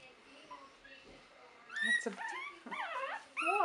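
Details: Buttercup's puppies, three weeks old in 2015, burst into loud, high-pitched whines and yips in the second half: several sharp wavering cries that sweep up and down in quick succession, following quieter murmurs.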